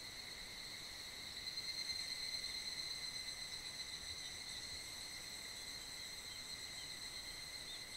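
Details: Mid-July evening in a hot summer valley below Mount Kanmuri, Funo, filled with a mass chorus of higurashi cicadas: a constant, shrill, overlapping drone of high tones, briefly louder around the second and third seconds.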